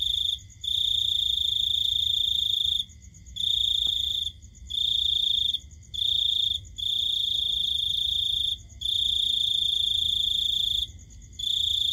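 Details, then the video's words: At night, a cricket trills in long, buzzy, high-pitched bursts separated by brief pauses. "Cricket Sound"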